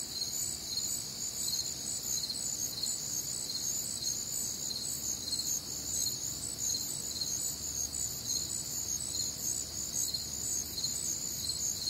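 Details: Crickets chirp through a humid, warm Midwestern summer night, their high rhythmic pulses blending into a steady multi-voiced chorus, with only a faint low murmur beneath.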